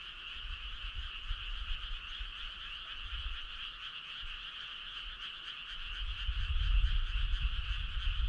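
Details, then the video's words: A frog chorus on a summer night, clear and unbroken: a buzzing, finely pulsed trill in two bands, steady in pitch, with soft low rumbling that strengthens toward the close. "Cool frog sound"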